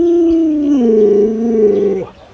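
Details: Luoluo the Alaskan Malamute, a household pet whose owner is ill in bed, produces a loud clear howl that steps down in pitch partway through, holds steady, then cuts off sharply.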